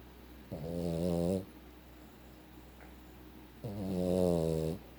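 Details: A fat Boston Terrier, asleep, snores in long, low, rattling breaths: two drawn-out snores a few seconds apart. Finding: Boston Terrier.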